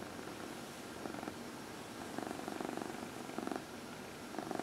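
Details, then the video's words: Dinah, a 14-year-old female cat, purring on a lap during her early evening massage; a low rumbling purr comes in regular breathing-paced surges about every second, in a quiet indoor room. "Dinah — Massage"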